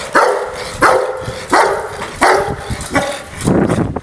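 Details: An angry Rottweiler barks in deep, harsh bursts, repeated roughly every two-thirds of a second.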